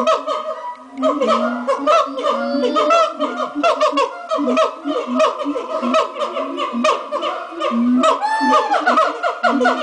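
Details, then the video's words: Monkeys at Twycross Zoo in their morning chorus: overlapping hooting and whooping calls, many short sliding and rising notes layered over steady low tones, a dense, continuous racket from several animals. "The Monkeys' Morning Chorus at Twycross Zoo"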